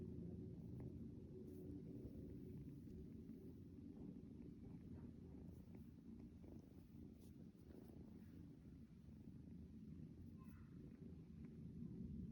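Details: Small domestic kitten at home in the early morning, waking its owner in place of an alarm clock: a soft, continuous low rumbling purr that runs steadily throughout, with faint scattered clicks and rustles above it.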